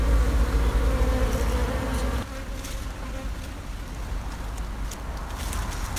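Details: Honey bees in a long-established colony under an abandoned sofa, some combs left for winter after a honey harvest: a dense low hum for about two seconds, then fading to a softer drone with faint clicks.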